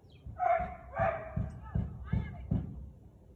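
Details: Siberian Husky barking at 4:17 pm on 13 March 2021; a few harmonic, vocal barks and yelps come in a quick run over about three seconds, with dull low thumps under each one.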